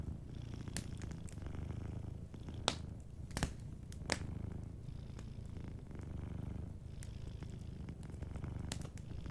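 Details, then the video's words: Soft, continuous low purring from a sleeping cat by a warm fireplace, the rumble holding steady while crackling wood sends scattered snaps over it, clustered around 2.5 to 4 seconds. "Warm Fireplace Ambience with a Sleeping Cat 🐱💤Fireplace & Soft Purring"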